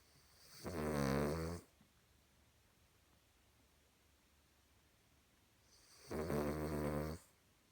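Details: Sleeping Cavalier King Charles Spaniel snoring like a human: two long, rumbling, harmonic-rich snores about five seconds apart, each lasting roughly a second, with quiet breathing between.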